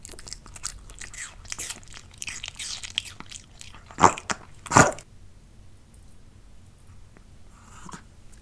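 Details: Pet dog tasting different kinds of fruit indoors: dense, crackly chewing and wet munching for about five seconds, punctuated by two loud crisp crunches near the end of the bout, then near silence with one faint soft rustle.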